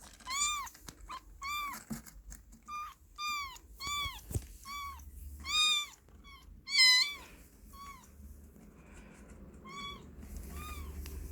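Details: Kitten in a box crying with a long run of high, harmonic meows repeated about every second, some rising then falling, a few louder and strained, over faint room hum.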